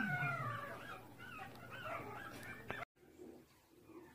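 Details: Pomeranian during the birthing process, recorded indoors: high, thin whines with gliding, falling tones, repeated for nearly three seconds. A short silence follows, then a faint low murmur. A steady low electrical hum runs beneath.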